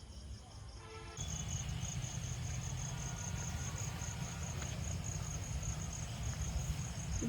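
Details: Crickets calling on a calm night in a city park: a steady, rapidly pulsed high chirping runs throughout over loud low rumble, with a brief burst of music at the very start.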